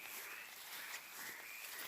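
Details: A toad sings from one spot in a calm night, its sustained, trilling voice blending into a hissing background.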